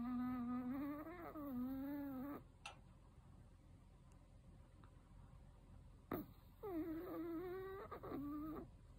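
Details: Loud sleep snoring of a 13-year-old senior male Chihuahua: two whistly, wavering snores about two seconds long with a gap between, and a sharp click near the start of the second one.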